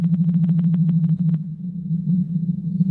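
A blue whale gives a long, steady, low droning moan, with a burst of rapid clicking at the start.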